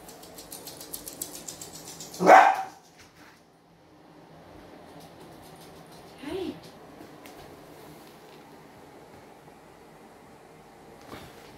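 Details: A young dachshund wearing a non-shock sound-and-vibration anti-bark collar, used to curb excessive barking, gives one loud, sharp bark, then a softer, shorter bark a few seconds later.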